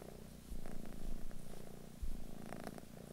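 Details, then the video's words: British Shorthair cat purring indoors in England, a low rumbling drone that swells after half a second and again near two seconds, with faint rustling on top. "Cat Purring"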